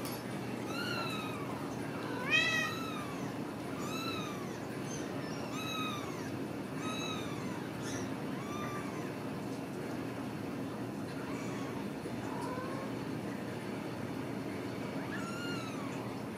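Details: Several cage-free Ragdoll kittens at a home cattery in central Kansas mew repeatedly, short arched squeaky cries coming every second or two early on, then thinning to occasional calls over a constant low hum.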